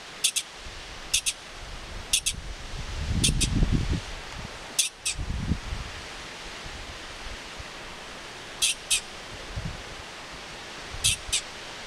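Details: A California pika in the Desolation Wilderness gives short, sharp, high squeaks in its regional dialect, mostly in quick pairs, over soft rustling wind.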